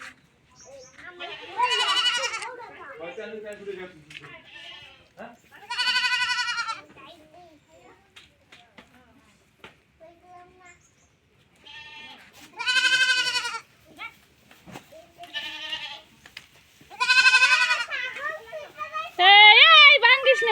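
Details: Goats bleating during milking in a Bangladeshi village: loud, wavering, harmonic-rich bleats in bursts every few seconds, some falling at the end, with women's voices talking between calls.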